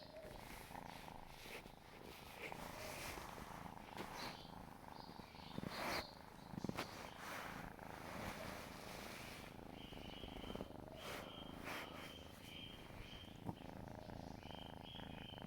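A kitten purrs steadily, a low rumbling motor-like vibration that pulses with each breath in and out.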